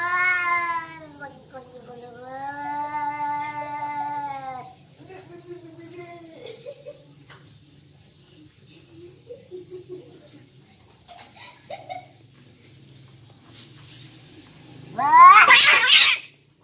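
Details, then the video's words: Cats fighting: a long, wavering, drawn-out yowl with rich harmonics, then a second rising and falling howl, a stretch of quieter scuffling and low grumbles, and a sudden loud harsh hiss-like burst near the end. "cat fight"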